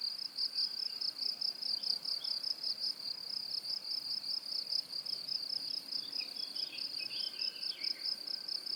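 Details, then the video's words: High-pitched cricket song, a steady run of rapid pulses forming an unbroken shrill trill, while fainter, irregular chirps from other insects flicker in and out near the end. "고주파_귀뚜라미2 / High-Frequency_Cricket2"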